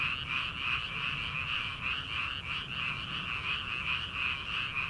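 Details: Paddy-field frog chorus in early summer ahead of rice planting: continuous high, rhythmic croaking pulsing roughly three times a second, even and dense throughout.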